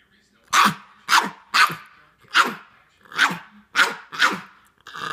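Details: Pet dog barking for popcorn at home: seven short, sharp barks spaced about half a second apart, with a brief voice starting at the very end.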